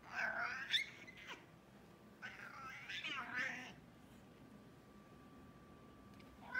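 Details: Excited male American Shorthair, classic silver tabby, squeaking instead of meowing when eager to play: two warbling, rising-and-falling squeaky calls about two seconds apart, then quiet with a faint steady hum.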